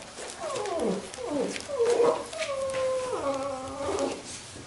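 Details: Labrador retriever puppies from a B litter playing together; high harmonic whines and yelps, first several short falling squeals, then longer level whining tones with clear overtones toward the end, in a quiet indoor setting.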